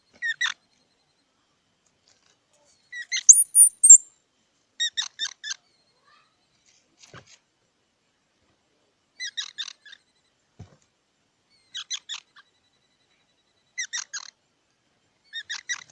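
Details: Squirrel giving short clusters of squeaky, nasal chirps, each burst repeated about every two seconds, with one brief flurry of thin, piercing high whistles near the start. Otherwise silent surroundings.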